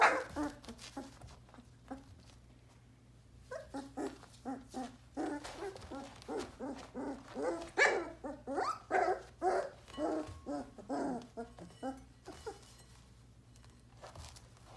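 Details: One-month-old Sheepadoodle puppy, among three young pups born in April 2020, yipping in a quick run of short, high barks, about two per second for several seconds, then tapering into softer whines, with a low hum in the background.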